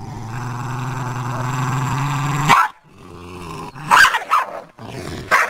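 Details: Dog after a deer in a garden gives a long, low rumbling growl for over two seconds, then breaks into a few sharp barks separated by short silences.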